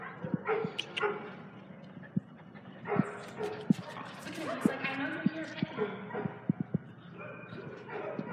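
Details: Dogs at a dog daycare in Hooksett, New Hampshire, recorded 10 April 2019: short sharp barks and yips scattered irregularly through a noisy room, over a woman talking and calling out.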